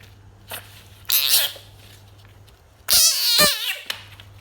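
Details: A pet frog in a small quiet room lets out rasping, broadband bursts, a short one followed later by a longer, wavering squeal with a falling edge, over a constant low electrical hum.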